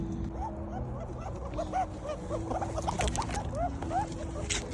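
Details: A squirrel that arrived one to two weeks earlier and is growing assertive towards other grey squirrels. It gives a run of short, arched, pigeon-like notes repeated several times a second, over a steady low hum and small rustling noises.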